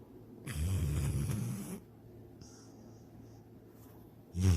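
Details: Pet dog Sydney snoring while dreaming of chasing a rabbit and swimming in a lake; one deep, rumbling snore of about a second, then quiet breathing and the start of another low snore.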